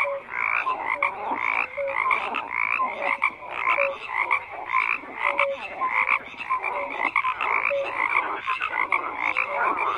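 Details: Chorus of croaking frogs, many voices overlapping in a steady, rapidly pulsed churr, with brief whistled notes popping out every second or so; no other sounds stand out.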